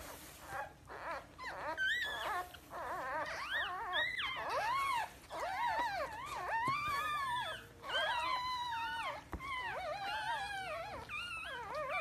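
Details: Several Pomsky puppies, husky and Pomeranian mix, whine and wail together in a small room, with overlapping rising and falling moaning cries, almost unbroken, and short gaps between bouts.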